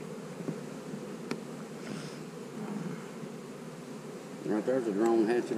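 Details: Colony of honey bees during hive splitting, with a queen cell among the splits. A dense, even droning buzz fills the first four seconds before a human voice begins talking over the hum.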